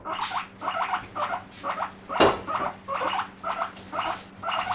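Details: Guinea pig shrieking for its vegetables one morning, a steady string of shrill upward-sweeping wheeks roughly twice per second, with one sharp knock in the middle and faint rustling beneath.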